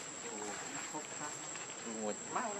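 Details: Baby monkey Lucie, hungry and crying for milk while foaming at the mouth, gives a continuous wavering harmonic whine that rises and falls in short bends, with a steady high hiss in the background.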